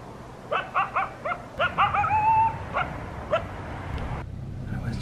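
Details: A coyote calls at about 5 am on Christmas morning near a house in southern Arizona: a quick series of short, sharp yips, then a drawn-out wavering howl note and a few more yips, over a steady low background hum.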